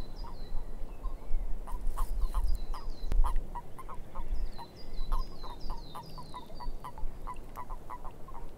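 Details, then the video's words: A swamp frog chorus of short, punchy croaks stacked closely together, several callers overlapping, while high, slurred bird whistles drop in pitch in small groups above, with a steady low rumble beneath. "Frogs In The Swamp"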